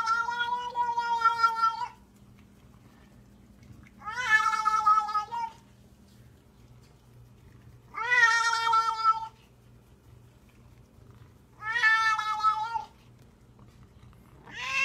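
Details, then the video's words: Male cat indoors giving long, harsh, eerie yowls likened to a possessed voice; four drawn-out wavering wails, each over a second long, spaced about four seconds apart, with a fifth starting at the end; quiet room hum between. "Cat Sounds Like The Exorcist"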